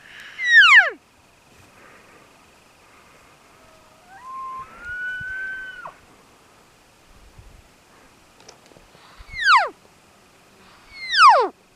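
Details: Big 7x7 bull elk on public land during a hunt, giving a bull calling cows or contact bugle: three loud, high whistled notes that sweep sharply downward, with a steadier, lower drawn-out tone between them.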